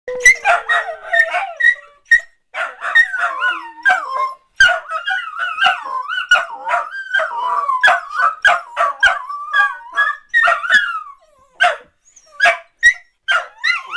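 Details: Several dachshunds 'singing' together: a dense, continuous chorus of wavering, yodel-like howls and high yips that bend up and down in pitch, overlapping almost without pause for the whole stretch.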